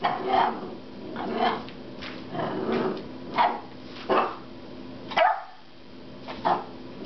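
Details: Frustrated at a rubber squeaky pig toy, 10-week-old puppy Loki gives a run of growly, muffled barks roughly once a second, some rough and drawn out, with faint room noise between them.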